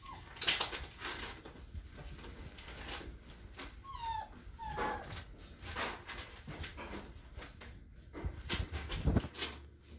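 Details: Five-week-old Standard Poodle puppies give high, thin whimpers and squeaks amid scuffling and rustling.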